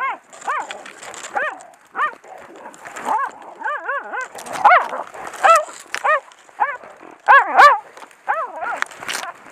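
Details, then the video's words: A Heideterrier, a male hunting dog, barking while holding a wounded wild boar sow at a driven hunt; a rapid series of sharp, rising-falling barks, some in quick doubles and triples, with short whimpering yelps between. "Heideterrier "Odin von der Lönsmeute" bindet kranke Sau auf Drückjagd / Saujagd"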